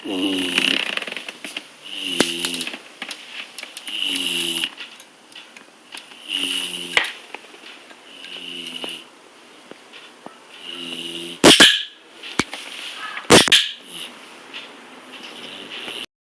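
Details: A sleeping bulldog snores in rhythmic, rasping pulses roughly every two seconds, each with a low harmonic rumble and a hissy upper edge, followed by two sharp, loud bursts near the end in a small indoor room.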